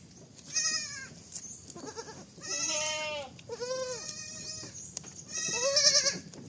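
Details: Baby goat bleating: four loud, wavering, nasal bleats of about a second each, separated by short pauses, with a fainter lower bleat between the first two.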